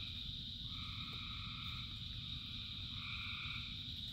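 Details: Thousands of frogs singing in the rain: an unbroken shrill trill with overlapping drawn-out droning calls starting and stopping every second or two, against a rumbling wash of rain.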